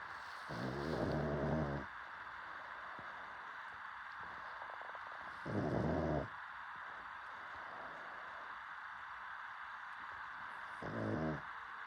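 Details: Sleeping dog snoring steadily. Three rough, low, buzzing snores come roughly every five seconds, each about a second long, with soft breathing between them.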